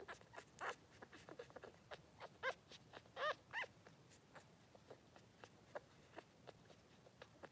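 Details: Newborn Blenheim Cavalier King Charles Spaniel puppies, three days old, in a puppy pen with their mother Pom-Pom; a few short high squeaks and whimpers rise among soft rustling and scattered clicks.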